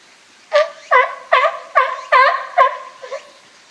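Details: Captive California sea lions, a group led by boss Felix, at Higashiyama Zoo and Botanical Garden, Japan, on Tuesday 12 September 2023: seven hoarse, harmonic barks in a steady burst of about two and a half seconds, with a quiet background.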